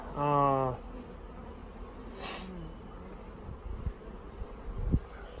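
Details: Honey bees from a mail-order package being installed after a week-long shipping delay: a loud, brief harmonic buzz in the first second, as if a bee passes close, then a low, quiet background hum.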